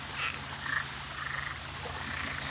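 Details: On a full-moon night in Florida, a chorus of frogs croaks softly, many voices overlapping in a steady background hum; at least three frog types and one or two toad types were present.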